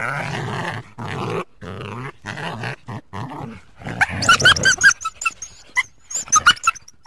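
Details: Coyote. Gruff, pulsing growls come first in a quick broken series. They give way to thin, high-pitched yips and wavering whines that rise and fall in short bursts.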